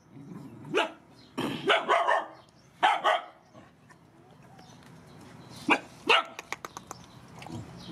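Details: Rescued mother dogs and puppies during feeding bark in scattered bursts over a noisy background, with a few clicking or tapping sounds between the later barks.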